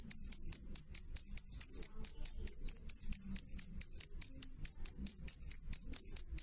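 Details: Clear, loud cricket song of rapid high-pitched chirps in a regular train, around twenty over six and a half seconds, over a quiet low hum.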